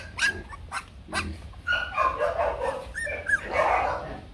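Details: Bac Ha dog, a shaggy native Vietnamese breed kept for breeding and conservation at a kennel. It gives three short, sharp barks within the first second and a half, then a tangle of higher yelps and whines over background chatter.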